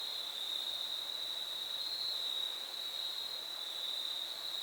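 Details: Fall 2022 crickets on the Foothills Trail during a thru hike, forming a continuous high-pitched ringing drone that barely wavers, backed by gentle steady hiss.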